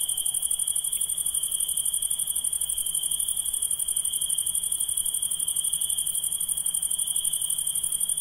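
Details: Night-calling insects in a steady chorus: a continuous high, shrill ringing made of rapid pulses, with a second, even higher trill layered above, unbroken for the whole stretch and with a faint low background hum.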